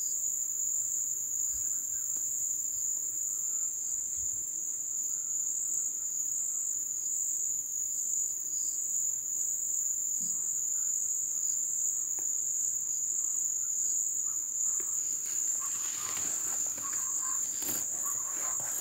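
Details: Crickets in the ebb season keep up a steady high-pitched ringing drone for the whole stretch; near the end a rustling, crackling burst of broadband noise rises over the chorus.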